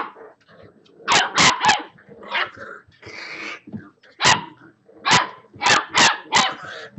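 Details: A litter of six-week-old Boxer puppies at play, with quick triple barks, a whiny drawn-out growl in the middle, then further bursts of sharp yapping barks.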